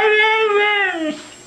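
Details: Pet dog Mishka, a female, 'talking' indoors: a long, level, whine-like howl with strong harmonics that sags lower near the end, echoing 'I love you', then quiet room sound.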